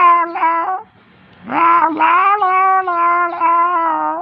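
A domestic cat gives long, drawn-out, wailing yowls in an angry tone.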